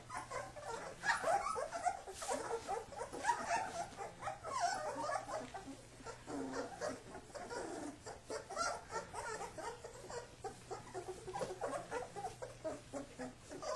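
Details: Wrestling Kuvasz puppies under their father's watch, producing low playful growls and soft whines mixed with constant scuffling, rustling movement.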